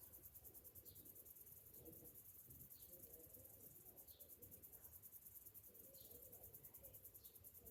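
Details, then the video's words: Cicadas singing on a summer morning: a steady, high, pulsing insect chorus with a fine rapid throb, while short faint chirps from other callers and low background rumble sit beneath. "Morning summer cicadas sounds"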